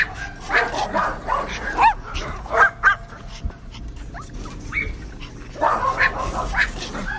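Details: Dogs giving irregular barks and high rising yelps with quieter gaps between, a burst of barking returning near the end.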